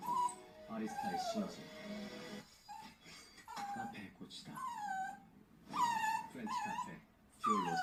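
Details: A female Bichon Frise puppy, recorded up to one year old, whines in high, thin, wavering cries that rise and fall.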